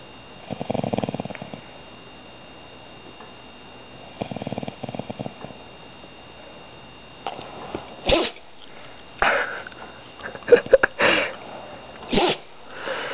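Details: A pet dog that has dozed off after growling, snoring indoors: two soft, rattling snore breaths about three seconds apart, followed by rustling and brief scuffling sounds.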